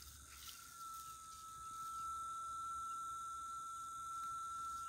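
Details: Cicadas in rural Itaporanga, Sertão da Paraíba, Brazil, on Thursday 14 December in the late afternoon, heralding the day's end. A steady, pure whistled drone holds one pitch and grows louder, with a faint high insect hiss and a few distant bird chirps.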